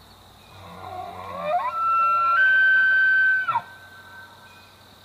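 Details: Bull elk bugling in Rocky Mountain National Park, Colorado: a low grunting start sliding up into a long, high, pure whistle held nearly two seconds, ending in abrupt breaks, over a steady low hum.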